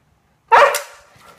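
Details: Siberian Husky, upset at being barricaded out of the living room while its owners nap; one sudden loud, harsh bark that trails off quickly.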